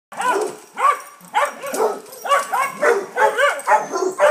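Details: Dogs barking during a visit by a neighbour's St Bernard to Basset Hounds, the neighbour wanting to play: loud, harmonic, baying barks repeated about twice a second, some drawn out into short howling tones.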